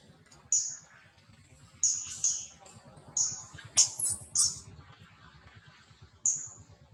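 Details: Shrill, piercing squeaks from Lily, a wild infant monkey that has just woken and clings to mother Aika, come singly and in quick pairs, separated by brief pauses, with soft handling noises underneath.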